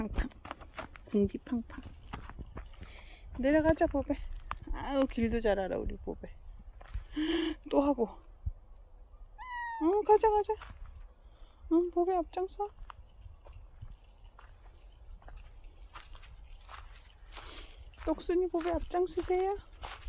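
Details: Meowing from Bobae, a very dog-like pet cat: short arched meows in scattered bursts across twenty seconds, separated by pauses, with low background rumble and occasional voices.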